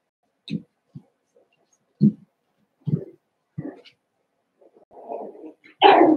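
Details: Seven-week-old Cavalier King Charles Spaniel puppies in an indoor home puppy pen: short, low, soft woofs and yips come singly at irregular gaps, about six in all, then a brief rustling noise and one louder, harsher final cry.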